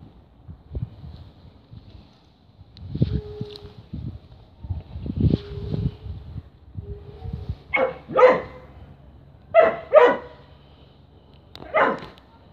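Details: Whippet barking in its usual playful ritual when handed a tripe stick, before eating it: low grumbling sounds early on, then a run of loud, sharp barks in close pairs toward the end.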